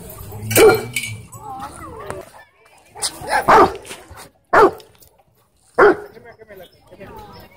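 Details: Cane Corso nervous of dogs and people at a dog park, giving a few loud, short, deep barks spaced about a second apart, with people talking in between.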